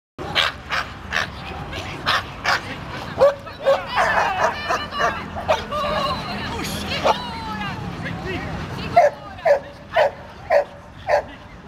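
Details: A Staffordshire Bull Terrier barks in sharp, repeated bursts about every half second during attack training, with a man speaking.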